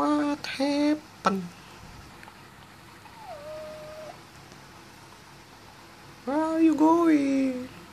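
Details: Pet cat indoors in a small room, wanting to go out: two bursts of drawn-out, harmonic meows, one at the start and one near the end, separated by a quiet stretch with a short tonal note, while a person talks to it.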